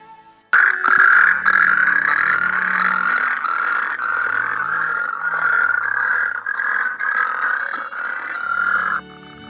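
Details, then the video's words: Natterjack toads at dusk at Sandscale Haws, Cumbria, calling back after a recorded Natterjack call is played to locate them near a pool edge: a loud, continuous rolling rattle, steady and mid-pitched, lasting about eight seconds before stopping abruptly. "After a brief response from the Natterjacks, Neil decides to try and locate a toad around the edge of the pool, as this is where the strongest response is coming from."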